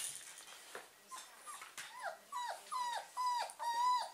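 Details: German Pinscher puppies, awake: a run of high whines and yelps, each sliding down then holding steady, coming roughly every half second and growing louder and longer toward the end, over a soft rustling background.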